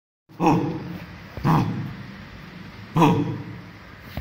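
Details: A 2-month-old female German Shepherd puppy, while playing, gives short, high, yappy barks a few seconds apart.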